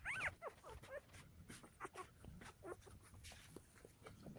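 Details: Newborn Golden Retriever puppies, one day old and part of a litter of nine born to a young mother in Nampyeong-eup, Naju, Korea, give thin, high, arching squeals and whimpers in quick bursts.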